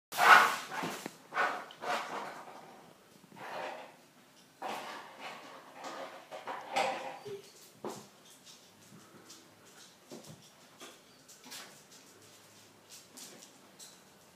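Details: Three 10-week-old Weimaraner puppies at play give short, sharp barks and yelps that fade over several seconds.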